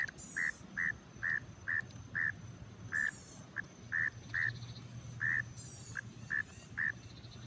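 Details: A frog hidden in grass calls with brief, clipped notes of steady middle pitch, repeated about once or twice a second in an uneven rhythm, over a low background hum with occasional hissy rustles.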